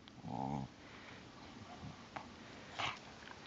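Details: A dog gives a short, rough, buzzing growl lasting about half a second, followed by quiet rustling and a couple of soft clicks.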